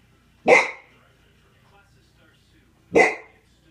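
A Golden Retriever gives two single, sharp barks about two and a half seconds apart.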